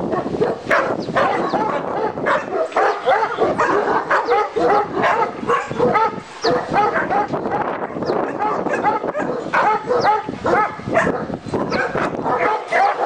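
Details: Dogs at a kennel specialising in Alabai, with a Turkish Malakli and a Korean Jindo: dense, overlapping deep barks and yips from several animals, almost continuous with short gaps, plus occasional whining notes.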